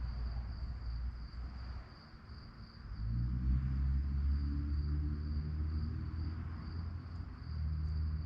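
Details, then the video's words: Crickets chirping at night: a steady, fast pulsing high trill that runs without pause, set over a heavy low rumble that swells after three seconds into a deep, humming drone. "relaxing sounds of crickets"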